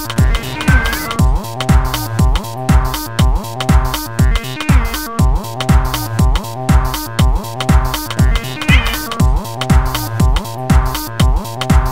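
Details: Driving electronic dance music with a steady beat about once per second and deep bass, and no animal sound.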